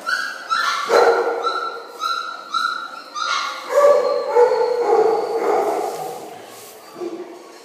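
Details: Five-week-old Belgian Malinois puppies, two males and three females, eating kibble indoors in a kennel building in October; a run of short high yips and whimpers repeating about twice a second, with a person talking.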